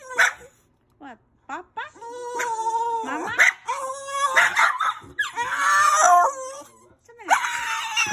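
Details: Pet Rat Terrier placed in its kennel to calm down because a person is downstairs; high, wavering whines with rising and falling slides come in bursts, broken by short gaps, with a person's voice mixed in indoors.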